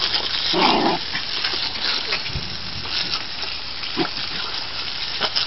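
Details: Piper, a 4-month-old Scottish Terrier puppy, playing in water from a garden hose; one short, tonal yip just before the first second, then only steady hissing spray with scattered splashes and clicks.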